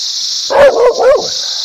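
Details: Dog barking three times in quick succession, each bark loud and short, over a steady high hiss.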